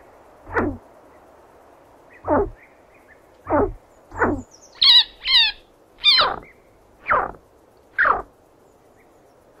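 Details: Chinchilla giving sharp, squeaky chirps that slide steeply downward, repeated about once a second, with a few higher, quavering double squeaks in the middle; otherwise a quiet background.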